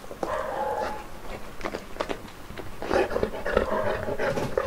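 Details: Saint Bernard named Uno on his first birthday, indoors in a small room: rapid, rough panting breaths with a short tonal whine near the start, steady breathy pulses continuing throughout.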